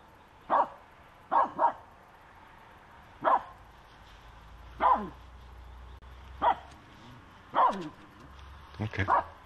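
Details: Dog on a walk harassing a squirrel: sharp single and double barks at irregular intervals, about seven bursts, with a person talking nearby.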